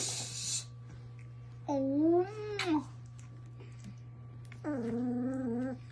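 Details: Ford, a Belgian Malinois puppy aged three weeks and three days, gives two drawn-out whining cries, the first rising then falling, the second more level, with a short burst of hiss and a steady low hum indoors.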